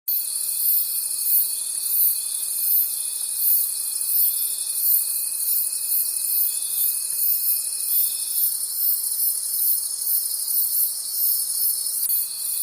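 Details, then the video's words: Crickets calling at night in a forest: a dense, high shimmering chorus pulsing roughly three times a second, with a steady thin whistle-like tone underneath that drops out after eight seconds and returns near the end. "Forest Sounds and Cricket Conversations at Night"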